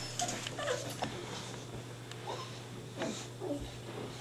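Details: Staffordshire Bull Terrier puppies, five and a half weeks old, indoors in a small room; brief, thin, high whimpers and squeaks come in scattered bursts with quiet gaps between, over a low steady hum.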